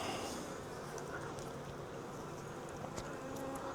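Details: A captured wild honey bee swarm, taken from a tree branch into a nuc box, gives an even, low droning buzz throughout, with scattered faint clicks and light rustling.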